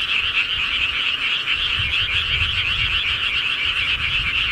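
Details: Rural frogs at night produce a steady, dense chorus of fast overlapping croaks forming a high buzzing wall of sound, with faint low rumble underneath.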